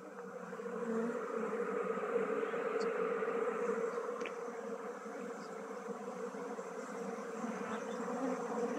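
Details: Beekeeping work transferring honey bees from a log hive to a modern box hive; a continuous droning swarm hum swells in over the first second and then holds steady, broken by a few faint sharp clicks.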